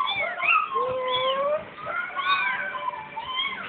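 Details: Kitten mewing: a run of high, thin meows that rise and fall in arched sweeps, several overlapping as though more than one kitten calls at once, with no other clear background sound.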